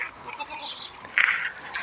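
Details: Goat on a semi-confined goat farm in Maharashtra, India: one short, loud, nasal bleat a little past the first second, over low farmyard murmur and faint background voices.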